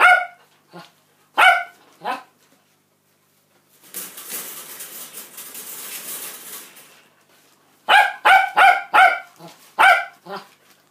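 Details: Rosie, a Cockapoo mother, barks at her 49-day-old puppies' feeding time, the litter born 5 August 2016: three loud sharp barks, a stretch of steady hissing noise, then a rapid burst of six barks.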